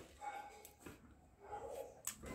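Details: A Lhasa Apso puppy, after playing, gives soft, high whining yips and a couple of short, sharp barks. Finding: Lhasa Apso.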